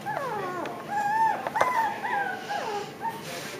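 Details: Five-week-old Japanese Chin and Pomeranian pups away from their mother on a first outing, whining in long wavering drawn-out tones that slide downward, with overlapping voices and one sharp knock midway.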